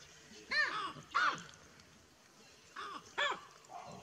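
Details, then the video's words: Baboons call as a buffalo approaches. There are four sharp, arching barks, two close together, a pause, then two more, each short and hoarse. "Amazing baboon sound when buffalo arrives"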